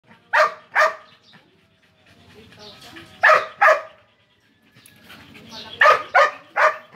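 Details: Belgian Malinois dog acting aggressively toward a cat, barking loudly: sharp, harsh barks delivered in quick pairs and a final burst of three, separated by quieter gaps with low rumbling sounds.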